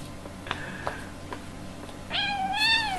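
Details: Two kittens, a European shorthair and a European longhair, playing and fighting indoors; a few soft taps and scuffles, then a clear rising-falling meow with bright harmonics lasting about a second at the end.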